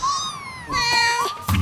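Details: Cornish Rex cat meowing: two drawn-out, clear tonal meows in quick succession, the second slightly wavering, together lasting about a second and a half.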